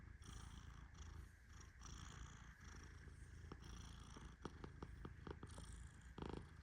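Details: Deep-asleep Persian cat Tehran snoring softly while petted, a constant low rumble with gentle breathy pulses, followed by a run of quick clicks and a short rustling burst near the end.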